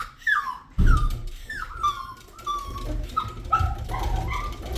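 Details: A pet puppy whines indoors as if protesting while its owner tries to eat: a series of high, tonal whimpers, each sliding downward in pitch, about six in under five seconds, over low room rumble.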